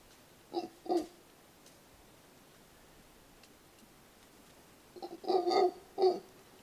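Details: Mantled howler producing two coarse, throaty grunts, then a long quiet gap, then a tighter cluster of three or four louder rasping barks near the end.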